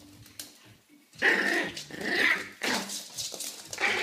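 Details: An extra-mini Yorkshire Terrier, a bit nervous, gives tense, rasping growls with sharp yappy bursts.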